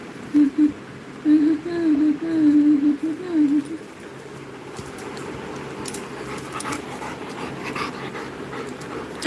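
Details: Labrador Retriever kept as a pet, whining in a thin, wavering high tone in short broken bursts over about three and a half seconds, followed by a person calling the dog in Bengali, with steady fan hum underneath.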